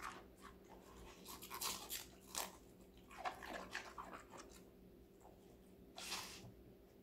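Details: Connie, a young female Golden Retriever of five months, chomps on raw vegetables; bursts of wet, crackly chewing come in clusters separated by short pauses, over a faint background hum.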